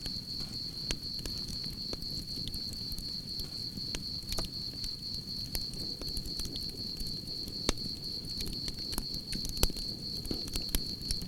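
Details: Crickets chirping beside a crackling campfire: a steady, high, pulsing trill that runs unbroken through the whole stretch, with sharp pops and snaps of burning wood and a low rumbling fire bed underneath.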